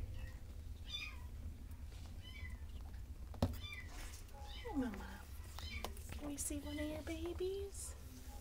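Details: Mother cat Mindy and her five kittens: thin, high descending mews scattered through the first half, then lower, longer meows sliding down and levelling off, with a sharp knock and a steady low hum underneath.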